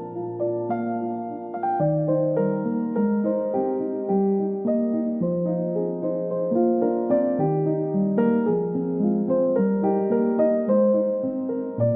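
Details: Gentle piano music plays throughout, a flowing melody of repeated notes over a steady bass, with no animal sounds.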